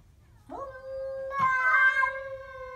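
A Siamese cat gives a drawn-out, moaning yowl that swells and sustains, threatening a stray cat.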